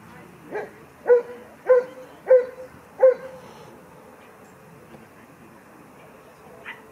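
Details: Sixteen-week-old Kleiner Münsterländer puppy Franzi joins her first play session with mostly adult dogs. Five clear, high barks come at an even pace, about one every half second, before things fall quiet with a faint final yelp.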